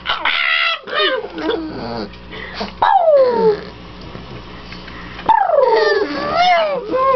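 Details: A female house dog greets her returning owners with happy howling. Her high, wavering whines and yips lead into long howls that fall in pitch, one near the start and another a few seconds later, over quieter indoor background sound.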